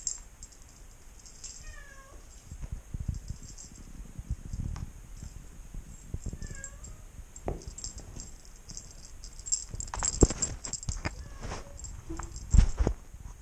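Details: Five-week-old female Maine Coon kitten from a cattery, hunting: two short, thin meows rising then falling in pitch, about five seconds apart, over soft thumps and scuffling from her play.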